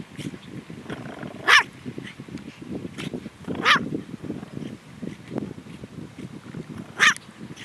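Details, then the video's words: A pet long-haired toy Chihuahua guarding the house gives three short, high yaps spread over several seconds, with soft background rustling and low murmuring. "Guard Dog On Duty"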